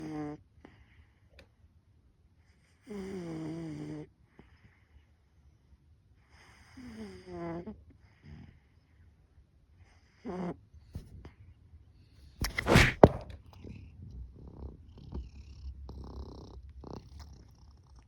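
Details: A snoring cat, noisy when woken up: four drawn-out, groaning snore bursts with a throaty harmonic rasp, spaced about three seconds apart, then a sharp loud rustle near the twelfth second and soft scattered noises afterwards.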